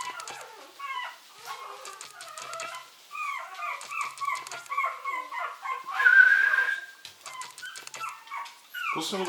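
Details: Short-haired mini Chihuahua puppies aged 70 days, very playful: many short overlapping yips and squeaky whimpers, a brief higher whine in the middle, with a person's voice and some handling noise.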